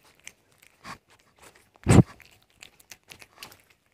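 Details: Cat eating an egg indoors: soft, scattered crunching and chewing ticks, with one loud, full biting crunch near the middle, then lighter mouth clicks in a quiet small room.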